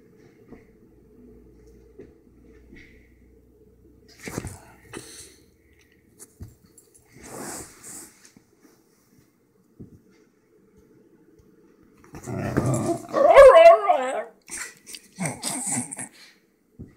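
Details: Excited Basenji indoors: long near-silence broken by soft sniffs and snorts, then a loud wavering, yodel-like howl with rich harmonics lasting about two seconds, followed by several shorter broken vocal bursts.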